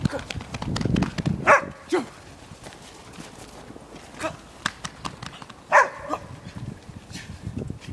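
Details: Podenco Canario, a female, playing and chasing in a snow-covered dog park in Stockholm at minus four degrees; two sharp, bright barks about four seconds apart amid crunching footsteps and panting-like noises.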